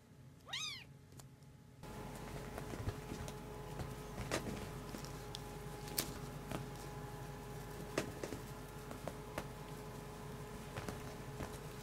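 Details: Kitten being raised and nursed by a male foster cat indoors; a single short, high, arching meow near the start, followed by steady rustling, scratching and soft thumps of kittens moving and playing.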